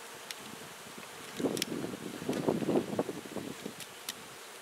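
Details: Western honey bees in a hive being removed from a palm tree in Mission, Texas: a dense, low buzzing swarm sound that swells after a quiet start and stays through the middle, with a few sharp clicks.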